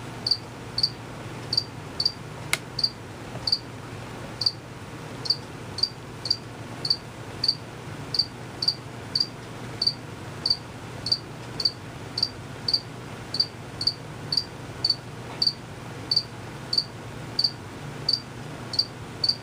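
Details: Male crickets, unseen, chirp steadily with their wings, short high pulses repeated about every half second over a quiet background; they chirped long before and after the recording.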